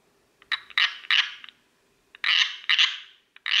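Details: Tree frog calling in short, sharp clicking notes with a ringing, metallic tone, given in loose groups of two or three with pauses between, against a quiet background.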